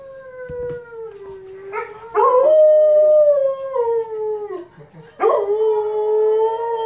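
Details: Siberian Husky howling along with a wolf on television; long smooth tonal howls that slide gently downward, three drawn-out phrases, each restarting higher after a short break, rich in overtones over a quiet room.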